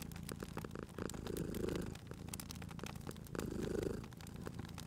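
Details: Domestic cat purring beside a crackling fireplace in cozy spring ambience, two soft rumbling swells about two seconds apart, with sharp fire pops and crackles scattered throughout.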